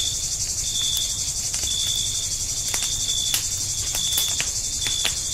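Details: Forest campsite at night, crickets giving an unbroken, piercing high trill that dominates, with occasional sharp snaps of a crackling campfire and no other voices.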